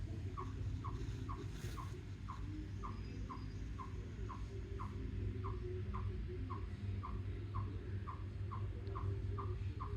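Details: On 2 July a chipmunk, unseen nearby after sitting on a rock, gives a steady series of short, sharp chips, about two each second, over a low rumble; its reason for calling is unknown.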